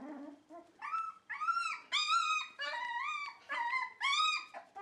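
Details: Dog whining and half-howling: long wavering, strongly tonal notes about a second each, rising and sagging in pitch, repeated with short breaks.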